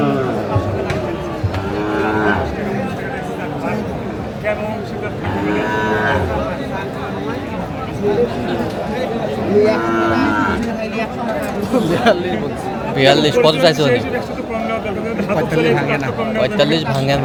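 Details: Sahiwal bulls at a cattle market in Tangail on 4 March 2025. Deep, drawn-out moos with a clear harmonic tone rise and fall about three times, roughly every four seconds, over steady market chatter and bargaining voices.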